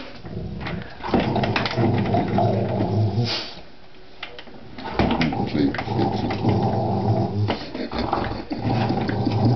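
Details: Rottweiler kept indoors, agitated by an office chair it dislikes, giving a low rumbling growl with pitched vocal bursts, broken by a brief quiet pause midway, with human voices in a small room.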